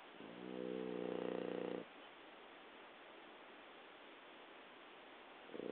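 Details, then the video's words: A grown French Bulldog snores in its sleep with a low, buzzy, rattling inhalation, then a quiet pause before the next breath. The owner is unsure whether it is snoring or just sleep breathing, and says it was much louder as a puppy. "French Bulldog's stertor いびき"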